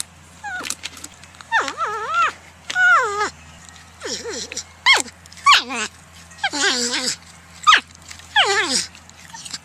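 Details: Porcupine giving a series of wavering, whiny tonal calls, each rising then dipping in pitch with strong harmonics, about a dozen separated by short pauses over ten seconds, with a faint low steady hum beneath.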